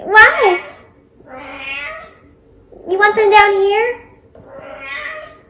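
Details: Domestic cat giving four loud meows, the first sliding downward, later ones wavering and drawn out, spaced about every 1.5 seconds, with a faint steady hum in an indoor room.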